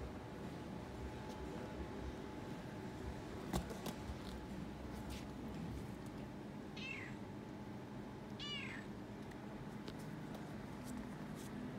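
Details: Young Toyger cat wandering through a pet shop with an attached vet, purring and meowing excitedly; two brief, bright, slightly falling meows close together, with background room hum and a sharp click.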